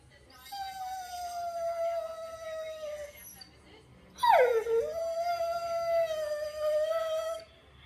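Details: Pet greyhound wanting attention gives a long, steady, slightly falling howl of about three seconds, a pause, then a second howl that starts with a sharp rising-falling break and holds steady for three more seconds.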